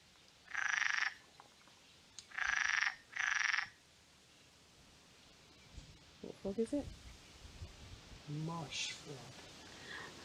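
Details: A marsh frog, unseen, gives three loud, rattling croaks in quick succession among reeds at Ham Wall and Shapwick Heath nature reserves, Somerset, 11 June 2022, followed by a man speaking.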